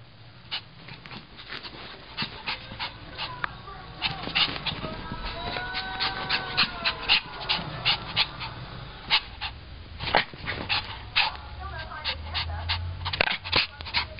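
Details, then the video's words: A Shih Tzu dog freaking out and fighting back at the camera at night: rapid sharp yips and short barks in quick bursts, with whimpering tones between, steady through the recording. "shih tzu attacks the paparazzi"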